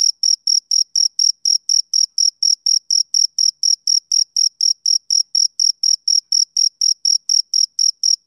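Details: Male cricket chirping on a summer evening: a steady train of short, high, pure-toned chirps, about three per second, with a faint higher overtone and nothing else audible.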